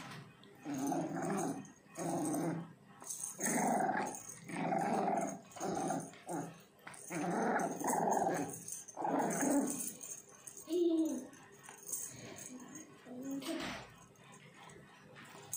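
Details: A French Bulldog puppy playing tug of war gives a run of low, raspy growls, about one second each, with short breaks; near the end they turn softer and more broken, with a few brief whiny notes.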